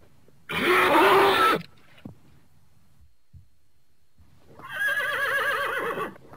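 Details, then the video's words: Horse giving two loud whinnies. The first is a harsh, broad burst of about a second. After a quiet gap with faint knocks, the second is a long, quavering, wavering neigh. "horse sounds"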